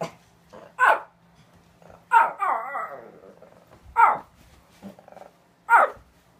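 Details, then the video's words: Pet dog named Chickie barking to be let outside: four sharp barks about every one and a half to two seconds, the second running into a short wavering whine, with a quiet background. "Chickie barking to go outside"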